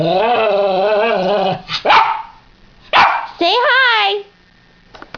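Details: Pet dog indoors with its owner; a long wavering whine-like howl, then sharp barks and a rising, yodelling vocalisation, with a person talking.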